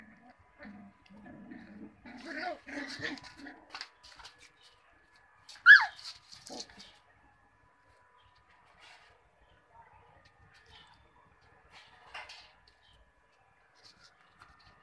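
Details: Cocker Spaniel puppies with a brief cluster of soft whimpers early on, then a single piercing high squeal, followed by scattered faint yelps and long stretches of near silence.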